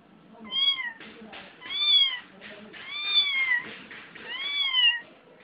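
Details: Domestic cat crying with four long, plaintive meows that rise then fall, spaced about one and a half seconds apart, each stretching close to a second, over soft background shuffling.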